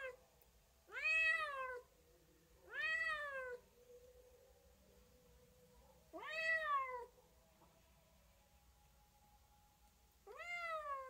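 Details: Pet cat giving four separate meows spaced a few seconds apart, each a bright arched cry that rises quickly then slides down, over a faint low hum in a quiet room.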